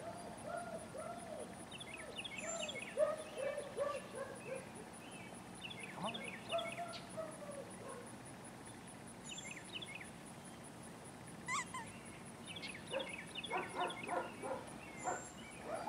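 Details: Female import German Shepherd puppies from a Fanto x Kappa litter whelped May 17th, 2016, giving repeated arched, whiny yelps in short bursts, with bird chirps and a steady high electronic tone in the background.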